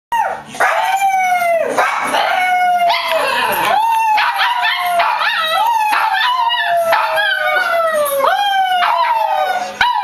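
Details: Dog howling on Christmas morning: loud, drawn-out tonal howls that rise, waver and fall, repeated in long phrases with short breaks, each rich in overtones, with brief yips between some notes.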